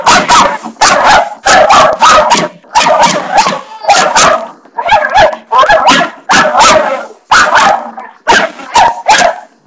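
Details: Barney, a pet dog, barking at the bathroom doorstopper indoors: a long run of loud, harsh barks in quick bursts, about a dozen across the stretch, separated by brief pauses.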